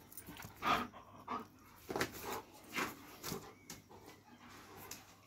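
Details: Dobermann panting in short breathy bursts, roughly one per second, with light background noise.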